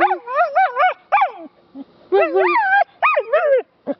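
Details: Female rescue dog awaiting adoption, said to love singing and talking, produces a string of wavering, yodel-like howls with rising and falling pitch in quick bursts, separated by short pauses indoors.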